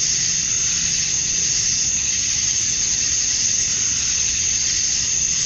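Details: Cicadas on a summer evening at dusk in Georgia, USA, where males call to draw females. An unbroken, intense, high hiss-like buzz stays level throughout, with a faint low murmur beneath.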